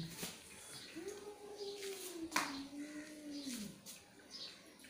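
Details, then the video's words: Angry cat holding a sustained, low moaning yowl for about two and a half seconds, fairly level in pitch before dropping off, with a sharp knock midway and quiet indoor background noise. "Angry Cat Sound"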